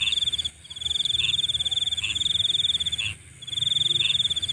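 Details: Nocturnal insect sounding a piercing pulsed trill with two brief dropouts, accompanied by lower chirps repeated about once a second and a thin continuous whine above.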